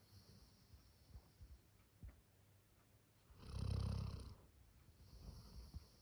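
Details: Max, a male Labrador Retriever born 1 October 2019, snoring like a human: quiet rasping breaths, then one loud, deep, rattling snore lasting about a second, followed by softer wheezy breathing.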